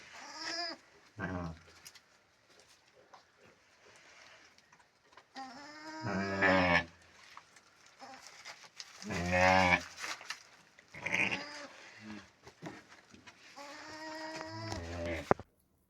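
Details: Sheep at a lambing, the oldest ewe in a rural flock giving birth to a female lamb, with the shepherd tending mother and newborn: several harmonic, wavering bleats spaced a few seconds apart, some higher and thinner, amid handling noises.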